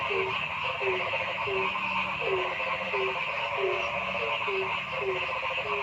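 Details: Noisy frog calling in a forest: short, low, falling notes repeated at an uneven pace of about one and a half per second over a constant, dense trilling chorus.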